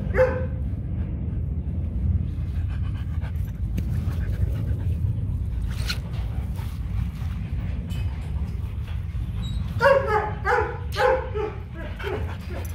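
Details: Fifteen-month-old Rottweiler named Kute Gervi, offspring of champion sire Bruno and Cynia Gervi, at home; one brief yelp at the start, then steady low rumble, then a burst of five or six quick, nasal whimpering yips near the end.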